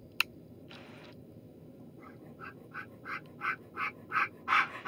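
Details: Young Alaskan Noble Companion Dog puppies of the agouti and liver Helix Darwin litter. A sharp click and soft rustle come first, then panting begins faintly and builds into loud, rhythmic breaths.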